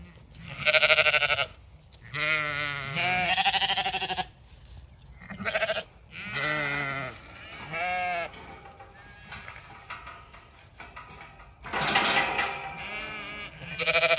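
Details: Large ewe flock at feeding time, spread over four feed troughs on a regenerative farm in County Kilkenny, Ireland, with alpaca nearby. Loud, wavering harmonic bleats come from several sheep, overlapping and repeated every second or two.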